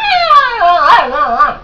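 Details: Pet dog howling along to a cell phone's ringtones: a wavering, harmonic howl that slides downward, wobbles in pitch, then rises and falls again over under two seconds, with faint ringtone music behind.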